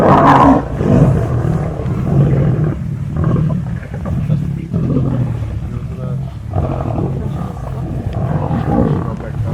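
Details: A big pride of lions at a feed, not close by: a loud snarling growl opens, then steady rumbling growls and grunts from several lions continue without pause.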